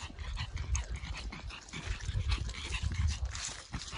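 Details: Pekingese named Winnie on a nature walk in Charleston Lake Provincial Park, hustling to catch up with a German Shorthaired Pointer; low, rhythmic puffs of heavy breathing over crunching leaves and faint birds.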